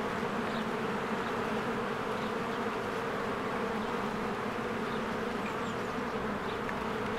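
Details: Honeybees in spring flying in and out of their hive while flowers bloom; a steady, dense buzzing hum of many wings fills the whole stretch, with a few faint high bird chirps above.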